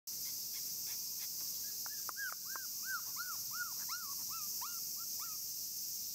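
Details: Black Shiba Inu male puppy, 34 days old, gives a series of high, arched whimpering whines, each rising then falling, repeated about once every half second, with a steady high-pitched hiss in the background.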